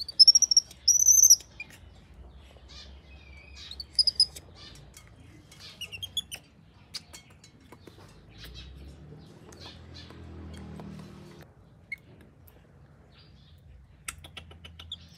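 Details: Baby monkey named Dori left alone by her mother, screaming: short piercing high-pitched shrieks in bursts near the start and around four seconds, then scattered clicks and rustling with a low hum beneath.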